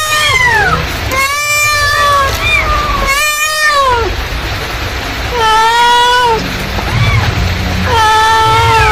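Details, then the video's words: A mother cat calls repeatedly with long, harmonically rich meows, several wavering and sliding down at the close, separated by short pauses, against a continuous deep mechanical rumble. "suara induk kucing memanggil"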